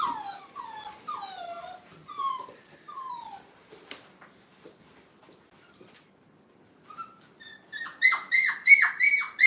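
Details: Brittany puppies, five weeks old, in a playpen for the first time at a kennel: a run of falling whines, a quiet gap with faint clicks, then loud, rapid, repeated yelps.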